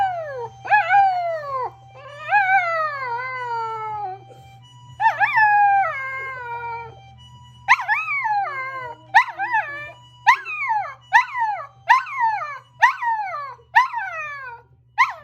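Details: Pet dogs Kokomi, a nine-year-old toy poodle, and Momoka, a five-year-old Chihuahua–Maltese mix, howl in response to an ambulance siren. Long falling howls give way to a rapid series of short sliding yelps over a low steady hum.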